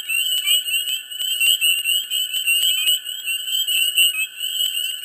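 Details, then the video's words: Dense mid-spring chorus of frogs in a swamp: constant high-pitched trilling with loud pulsing swells about once a second, plus crisp repeated clicks over the steady background. "Frogs,Dense,Mid Spring,Swamp"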